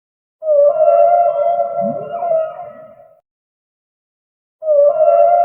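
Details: Sustained tonal moan of a humpback whale, holding one pitch with rich overtones while a short low rising sweep passes under it. The sound tapers into silence before the next moan begins.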